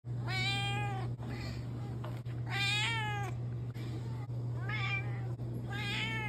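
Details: Cat meowing four times, clear tonal meows that rise and then fall, spaced one to two seconds apart, over a steady low electrical hum.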